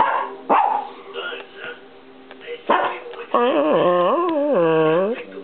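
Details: Chihuahua Peanut arguing with the camera: a few short yaps, then a long, sliding, rising-and-falling tonal whine-growl that wavers up and down for about two seconds.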